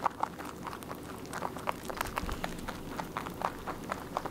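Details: Rabbit munching on food without stopping, each bite a sharp crunchy click repeating in a quick, fairly even rhythm, recorded close in a quiet room.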